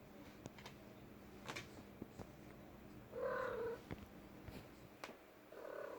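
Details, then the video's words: A female house cat vocalizing indoors: a brief, rough meow midway through, with scattered clicks and taps around it, then the start of another meow at the close. "My cat making noise"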